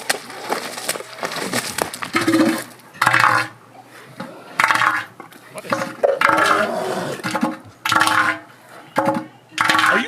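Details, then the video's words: An elephant seal gives loud, rough, pulsing bursts, each about a second long, described as its mating noises. "All right, here's the mating noises of an elephant seal."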